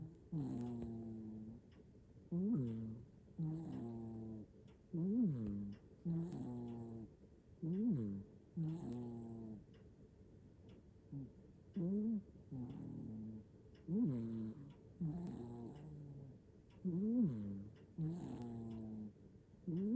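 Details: Hachiware cat Nana, fast asleep in Japan and captured with an iPhone 15 Pro Max, snores in quicker, less even breaths: low flat rumbles trade with peaked whistling wheezes, with brief pauses between some breaths.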